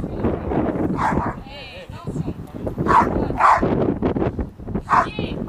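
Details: Female Rottweiler Cenka Vom Falke Königlich during RCI protection training on 28 November 2009, giving four short, loud barks near one, three, three and a half and five seconds over steady human talking and outdoor noise.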